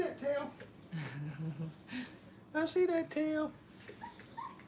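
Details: Five-week-old Brittany puppies playing at a training kennel give brief high whining cries and yelps, a cluster of sharp harmonic whimpers bunched near the middle, with a low human voice murmuring briefly earlier and soft background rustle.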